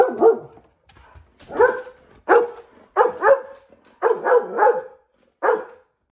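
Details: A male Chocolate Labrador Retriever, normally calm and lounging on a window seat, barks in excited, uneven bursts, some doubled, about one per second, on seeing his owner pull into the driveway.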